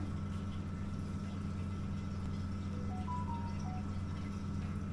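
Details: A steady low engine hum runs throughout, with a faint tinkling ice-cream-truck melody drifting above it and no animal voices.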